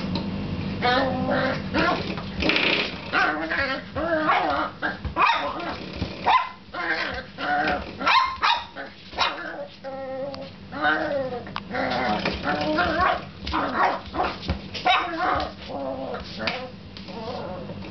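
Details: A puppy goes wild playing with a door stop, giving excited yelping barks, whines and short growls in rapid uneven bursts over steady background music.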